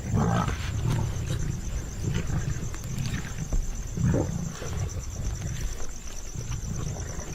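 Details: Asiatic lions in India, a pride of mothers and cubs, give low, throaty growls and rumbles in uneven bursts as they feed together at a spotted deer kill, mothers making space for their cubs; narration over the growling.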